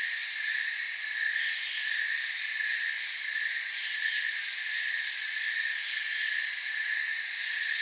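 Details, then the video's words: Unbroken high trilling from a mass of crickets in a forest, layered shrill bands with slight wavering in the upper tones, constant loudness and no other clear sounds. "Forest Sounds and Crickets"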